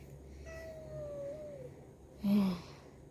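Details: Domestic cat indoors, shortly after being described as angry and quarrelling. A long, thin, drawn-out mewing tone slowly falls in pitch. It is followed by a short, louder, harsh burst over a low room hum.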